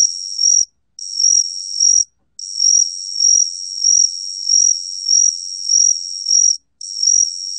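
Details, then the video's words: Gaksi cricket recorded in Korea, 2020: a long, piercing high trill that throbs in regular surges of loudness, broken by a few short pauses near the start and end. Clean background. "각시귀뚜라미, 여러번 듣기, 곤충소리"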